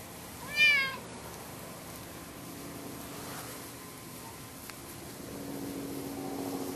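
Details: Loud, brief meow from Lucy, a hyper 10-year-old orange cat constantly pestering the resident cat Sam, 26 September 2011; a single sharp, harmonic-rich cry near the start, then only quiet indoor hiss.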